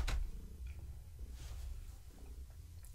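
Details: Low, even purring from Gaia, a pregnant long-haired tabby cat, as she is petted indoors in the evening; a sharp click opens the short stretch, then a soft rumble continues.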